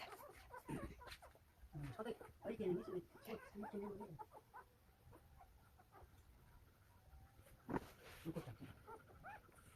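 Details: Newborn Golden Retriever puppies, one day old, from a litter of nine in Nampyeong-eup, Naju, Korea. Soft, squeaky whimpers and short squeals come in clustered bursts with pauses between them, over a quiet, steady background hum.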